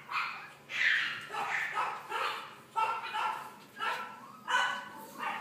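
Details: Boston Terrier puppies born on 3 May giving a rapid series of high, yappy barks, roughly one every half second, indoors.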